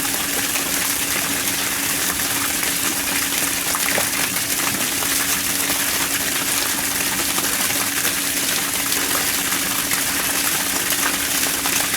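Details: Loud continuous rushing water with a steady low hum and no animal calls.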